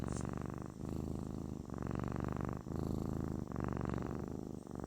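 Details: Kitten purring, described as therapeutic: a loud, continuous low rumbling purr in steady cycles of about one second, each breath marked by a brief dip.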